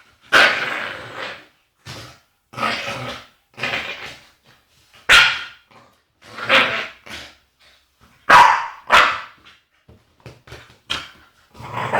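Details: Agitated Staffordshire Bull Terrier female making funny noises: a series of short harsh barky yips and grumbling whines in bursts roughly every second, some sharp onsets, indoors.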